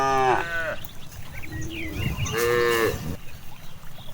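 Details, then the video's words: Cows grazing freely in a large rice field give two short harmonic moos, the first sliding downward, the second a flat bawl near the end, over rustling, low rumble and faint background music. "the sound of cows"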